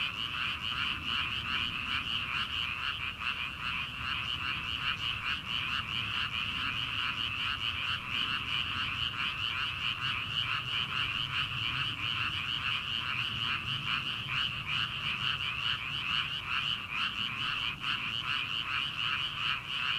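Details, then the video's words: Early-summer frogs in rice paddies at night, before rice planting; an unbroken wall of rhythmic pulsing croaks from many frogs, steady pace of roughly two or three pulses a second, with soft low rumble beneath. "초 여름 개구리 울음소리/ 논에서 들리는 개구리 소리"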